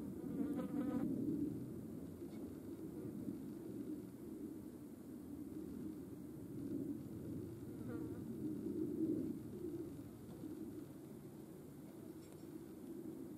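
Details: European hornets with ants at a feeding place in Dohr, Eifel, on 28 July 2022; a faint, steady low hum of wingbeats that swells and fades, with a brief stronger buzz near the start.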